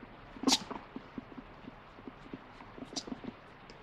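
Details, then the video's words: Pet guinea pig grumbling "puipui" in complaint at being denied a treat, wanting vegetables; one sharp, bright squeak-like burst opens, followed by a run of soft, quick low pulses repeating several times a second against quiet room hiss. "【鳴き声】おやつもらえなくてプイプイ文句言うモルモット The Guinea Pig wants Vegetables!"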